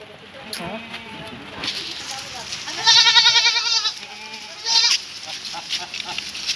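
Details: Goat at a farm near Midnapore, Paschim Medinipur, West Bengal, India, as sold animals are led away: a loud, quavering, pulsed bleat at mid-clip, with a shorter second bleat, over people talking and background noise.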